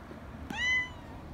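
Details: Short, sharp meow from a young community cat getting excited at being held, rising quickly then sliding down over about half a second, preceded by a soft tap.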